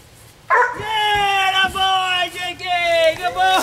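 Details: Jake, an 8 1/2 month old Labrador at the Penn Vet Working Dog Center, training to find a missing person hidden in a bark barrel in the woods; a long, high, wavering whine with rich harmonics, briefly broken, then resuming.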